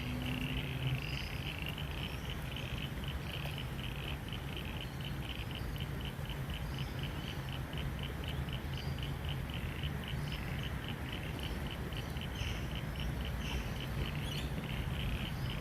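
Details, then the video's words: Frogs calling beside the River Torrens near Adelaide during rain: a rapid, steady, pulsed high trill repeats throughout, over a heavy low rumble of rain and flowing water. "You can hear these beautiful frogs in the background. I'll shut up for a bit."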